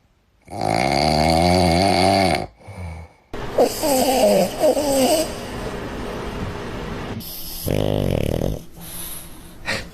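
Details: A sleeping dog makes long, harmonic snoring breaths, two loud drawn-out snores about five seconds apart, while a woman talks nearby.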